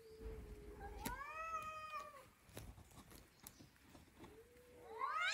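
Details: Domestic cat talking with drawn-out meows: a long level tone, then a loud rising-falling harmonic-rich yowl lasting over a second, a few soft clicks, and a final upward-sweeping meow.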